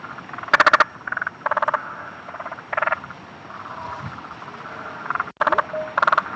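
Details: Spotted marsh frogs around Adelaide give rapid bursts of clicking pulses, like machine-gun fire, as a mating call.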